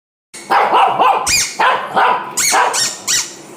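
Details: Shih Tzu barking: five sharp, high barks come in quick succession over about three seconds, each a short bright yelp with a little rising then falling tone, against a quiet room.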